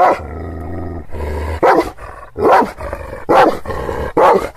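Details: Kangal shepherd dogs in Aksaray, Anatolia, angrily warning off unfamiliar visitors: a low droning sound first, then five loud, rasping barks spaced under a second apart.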